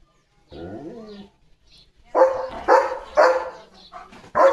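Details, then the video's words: Pet German Shepherd calling its owner ('mummy') to come out, barking with care and insistence: a drawn-out, falling whine, then five loud, sharp barks about half a second apart. "Leo The German Shepherd कसा मम्मीला बोलवतोय – आवाजात काळजी!"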